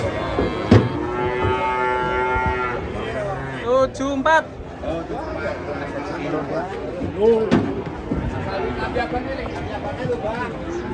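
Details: Cattle coming down off a truck during unloading give drawn-out lowing moos amid excited human voices, short bursts of shouting, and music in the background.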